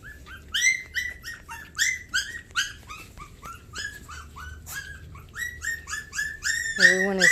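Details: Several Havanese puppies recorded on 20 January 2020, one named Pecan settling on a bed: overlapping high, squeaky whimpers and yips, each briefly rising then falling, tumbling out in quick irregular bursts of about two or three per second, ending in a longer wavering whine.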